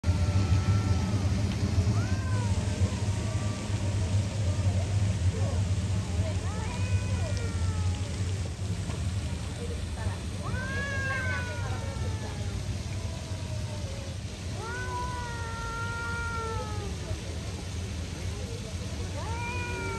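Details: Two stray street cats in a standoff, one trying to spook the other, which stands its ground: drawn-out, wavering yowls that rise and bend, repeating in bouts every few seconds over a constant low rumble of traffic.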